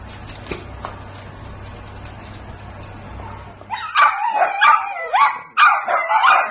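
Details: Miniature dachshund giving high, harmonic yelps and whining cries in quick bursts, each sliding up and down in pitch, starting midway after a stretch of quiet indoor hum and faint clatter.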